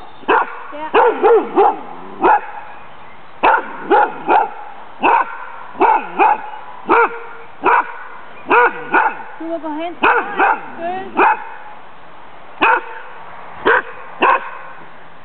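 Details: Lewanika Dumisani, called Sammy, a friendly and playful female dog that is neither aggressive nor timid, barks steadily through her Danish Kennel Club temperament test in April 2007. There are about twenty-five loud barks, some doubled, with short pauses.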